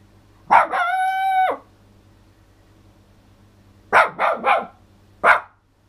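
A toy poodle lets out one high, even howl that holds its pitch for about a second before breaking off. After a pause come three rapid yapping barks and one last bark, over a faint low hum.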